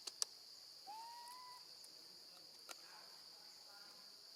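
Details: A baby monkey, left alone with her grandmother, calls for her mother: one clear whistled cry that rises, then holds level for under a second. A few sharp clicks and a steady high hiss sit behind it.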